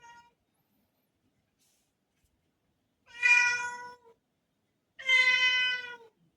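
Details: Rudy, a black house cat, meowing to ask for a door to be opened, August 2024: two long, clear, ringing meows about two seconds apart, each lasting near a second, in an otherwise silent room.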